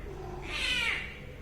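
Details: Domestic cat in a playful home setting giving a single drawn-out meow, a rising then falling harmonic tone lasting about half a second, over low background hum.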